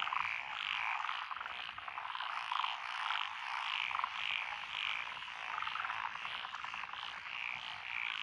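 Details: Many frogs calling together in lotus paddy fields in Echizen, Fukui, on 12 June 2021, species including Japanese tree frog and Schlegel's green tree frog: continuous rattling croaks layered into a thick, pulsing chorus with brief louder bursts.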